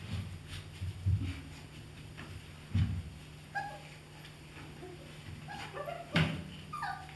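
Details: Thirty-one-day-old German Shepherd Dog puppies from an A litter make faint, short, high whimpering squeaks in the second half, with dull thuds and knocks in the first seconds and a steady low hum throughout.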